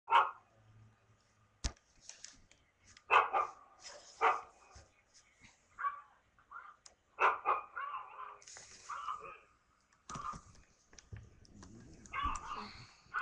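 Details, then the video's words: A pet dog reacting to other dogs barking, recorded by webcam on 24 December 2011 around midday: sharp barks in uneven bursts, some grouped in quick pairs, with fainter yips and background noise between. "My dog reaction to barking dogs!"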